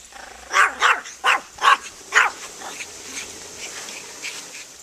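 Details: Banjo, a pet dog, barking at a lawnmower: five sharp, loud barks in quick succession over about two seconds, followed by quieter background hum and rustling.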